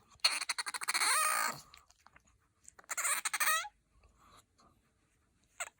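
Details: Bingo, a pet otter with a high, soprano-like voice, gives rapid chattering chirps that run into a shrill, wavering squeal, then breaks off and returns with a second, shorter burst of squealing.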